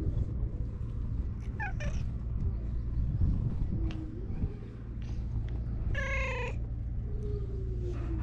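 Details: Stray cat on a cat island in Japan, its nap disturbed by a man; short harmonic meows near 1.5–2 seconds and a stronger drawn-out meow at 6 seconds over steady low hum and outdoor noise.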